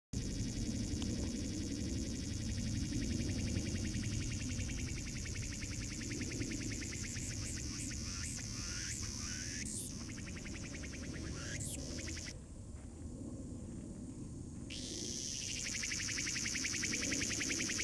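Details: Cicada crying, a dense, fast-pulsed buzzing drone held high and steady across the clip, briefly dropping out of its upper band for about two seconds before resuming, over a low background rumble.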